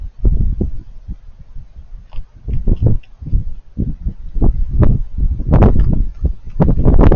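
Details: Raccoons eating: crunchy, crackling chewing sounds in irregular short bursts, mostly low and thudding with some sharper clicks, growing denser and louder toward the end; faint rustling underneath.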